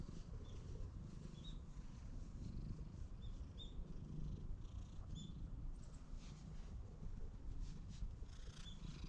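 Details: Wary stray cat trailing after a person, recorded with a GoPro HERO8; continuous deep, rough purring throughout, with a few brief high bird chirps scattered above it.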